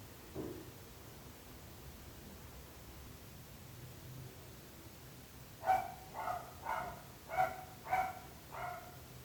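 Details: {'_': 'After a quiet stretch with a faint thud, a dog breaks into a rapid run of six barks, each well under a second apart.'}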